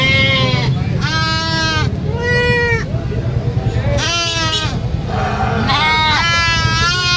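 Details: Baby goat on a farm screaming repeatedly: loud, quavering, richly harmonic bleats about every second, each wavering in pitch, some with a rising start and falling end, over a continuous low rumble.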